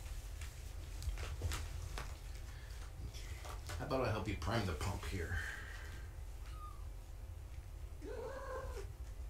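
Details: Foster kittens of the cat Gaia during an indoor weigh-in on a live foster cam. A woman talks in the middle, then short, thin kitten meows follow: one high brief note and an arched, wavering mew near the end. A steady low hum runs underneath.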